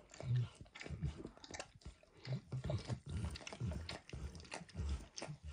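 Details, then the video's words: Max the dog working his tongue over a bumpy orange food mat, producing soft, moist smacks and mouth clicks in a loose, uneven rhythm, mostly low and muffled. "Max Licks | ASMR Dog Licking | Max & The Orange Mat"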